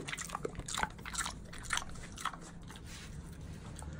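A mini pig chewing noisily, with wet, crunchy smacks coming in an uneven stream.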